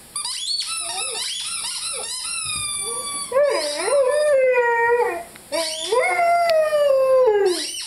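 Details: Five-month-old Rhodesian Ridgeback named Lyle howling while playing with his squeaky chicken toy; long wavering tonal howls that rise then slowly slide downward, with shorter yelping notes early on and brief gaps between calls.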